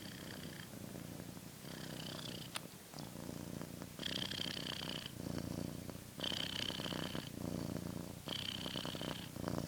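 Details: A pet cat purring, a continuous low rumble with rhythmic louder breathy surges every couple of seconds and a faint hiss in between, plus one sharp click.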